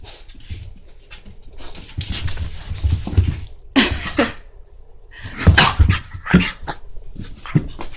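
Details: French Bulldog named Monaka, wanting to go out but refusing the leash, indoors in a small room: snorty grunting bursts and short, low whimpers in irregular clusters, with rustling and pauses between them.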